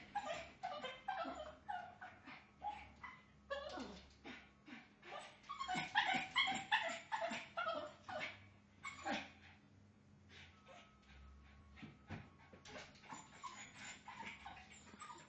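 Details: Pet dog trying to escape to see the neighbour, giving rapid high yelping barks mixed with whines in irregular bursts. The calling is densest mid-clip, then tapers into fainter whimpers, with a person speaking briefly afterwards.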